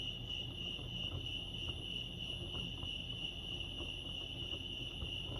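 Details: Steady high trilling of crickets at Lake Arrowhead, California, one sustained bright tone with overtones, accompanied by low rumbling ambient noise.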